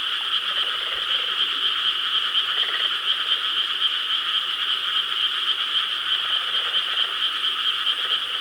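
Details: Frogs calling en masse from rice paddies in Korea, night of 4 July 2013; a thick, unceasing chorus of fast pulsing croaks, steady in loudness throughout, with a faint low rumble underneath.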